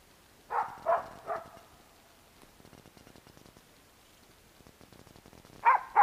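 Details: Barking at a squirrel by Bek the dog among pines and birches: three evenly spaced barks fading slightly, several seconds of near silence with soft rustles, then two louder barks at the end.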